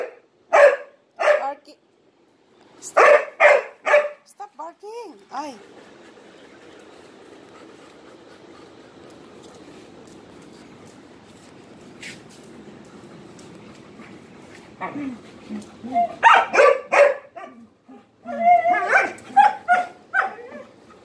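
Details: Dog barking for attention while playing with three Malinois, one against three; sharp harmonic barks in bursts at the start, around three seconds, and again after fifteen seconds, separated by a quieter stretch of low rumbling background.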